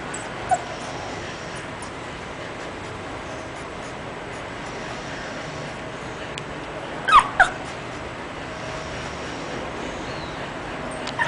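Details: English bulldog named Ayuka: two short, sharp yips close together about seven seconds in, plus a fainter squeak near the start and a few faint clicks over a steady hiss.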